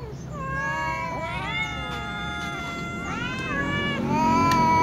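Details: Several little cats, including a ginger tom and a silver cat, meow pitifully at meal times; overlapping drawn-out meows with rising then falling pitch, one after another, with faint clicks and background noise.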